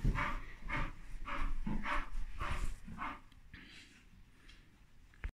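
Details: Bull Terrier named Dougie, in the morning, trying hard to get his just-woken mother to play; rhythmic grunting, huffing vocal bursts about twice a second for three seconds, then softer breathy sounds trailing off.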